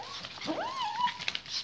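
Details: Pet pinschers at home, excited as their owner clips on walking leashes; one dog gives a drawn-out whine that swoops upward, then levels into a steady tone before fading, with a man's voice softly urging them to wait.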